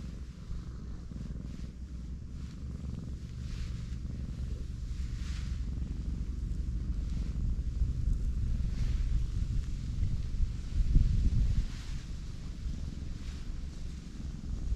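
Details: Black pregnant cat lying belly-up outdoors as her swollen belly is rubbed, giving a deep, even purr that grows slightly louder midway, with soft rustling.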